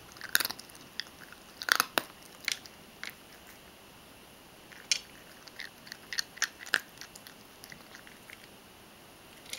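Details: Mojio, a Ragdoll cat, chewing dry kibble thoroughly: sharp crunchy bites in bursts, a cluster near the start, another around two seconds, then scattered single crunches through the rest, with quiet pauses between.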